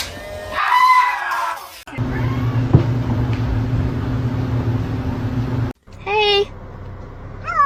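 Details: House cat letting out one rising-and-falling meow, followed by a stretch of steady electrical hum, then two brief sharp mews near the end.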